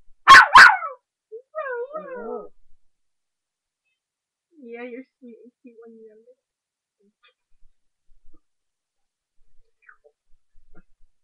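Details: A 3½-month-old female puppy barking while playing; two sharp loud barks open, followed by high wavering whines and yips, then sparse faint yelps, with a woman speaking softly.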